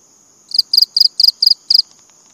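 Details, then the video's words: Six closely spaced bursts of shrill cricket chirps, each burst made of two or three rapid pulses, over a faint steady high tone. "BUNYI CENGKERIK"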